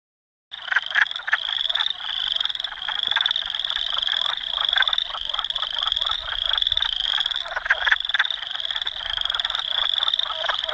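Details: Wood frogs calling in Dauphin, Manitoba, Canada, on April 18, 2008, filmed with a Canon PowerShot S5 IS: dense, rapid clucking croaks under a steady high, shrill trilling chorus that runs through the whole recording.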